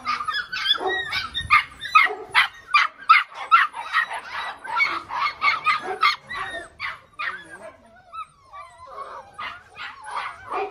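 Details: Six-week-old Belgian Malinois puppies calling together in a rapid, overlapping chorus of short high yips and whiny squeals, several per second, with brief bark-like notes and some human voices in the background.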